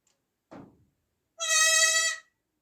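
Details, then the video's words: Newborn goat kid giving one high, nasal bleat about a second long with strongly layered harmonics, preceded by a brief soft rustle; otherwise quiet. "new born baby goat sound effects"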